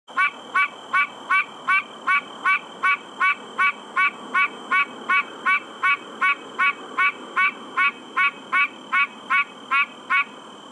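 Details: Pine Barrens treefrog (Dryophytes andersonii) gives a nasal, honking 'quonk' repeated steadily about two to three times a second; filmed by flashlight among branches in the New Jersey Pinelands National Preserve, summer 2016.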